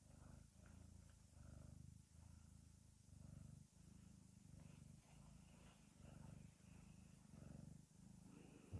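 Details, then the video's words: A domestic cat purring steadily and close, low rumbling pulses in rhythmic bursts about every half second to second, each breath cycle marked by brief pauses, with faint higher hiss above. "귀여운 고양이(A cute cat)"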